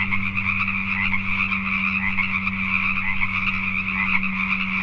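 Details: Pacific tree frogs calling at night in Richmond, British Columbia, Canada: a dense, unbroken chorus of overlapping pulsed croaks, with a steady low mechanical hum underneath throughout.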